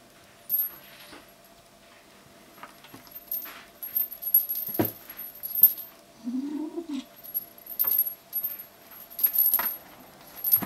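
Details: Kitten keeping hold of a toy while responding to threats makes a single low, owl-like hoot that swells and falls midway, surrounded by frequent jangling, clicking and tapping sounds.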